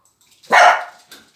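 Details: Dog at a dog playground giving one loud, sharp bark of about a third of a second, rising fast and then fading, with a faint short sound just after in an otherwise quiet space.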